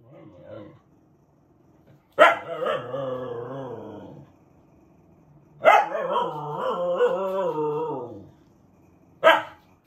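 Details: Talkative female Siberian husky in Japan, kept as a pet with other dogs, vocalising freely; two long wavering, yodelling howl-moans of about two seconds each, followed by a short sharp bark.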